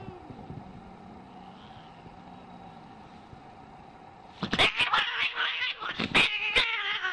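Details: Angry cat giving a low, quiet, droning growl for four seconds, then breaking into a harsh, loud run of screeches and spitting bursts, rapid and uneven.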